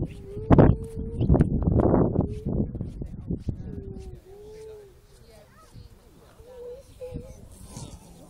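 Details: At the grey seal breeding colony at Donna Nook, on the UK's east coast, steady held wails alternate with harsh, loud bursts; later the colony grows quieter, with a few short, bending tonal cries.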